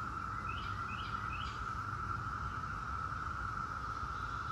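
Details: Periodical cicadas of Brood X, the 17-year brood, holding a steady high drone, with three quick rising bird chirps early on and low background rumble.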